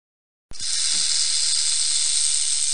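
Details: Rattlesnake rattle: a dry, hissing buzz that starts abruptly and holds steady and unbroken, with no pauses, to the end.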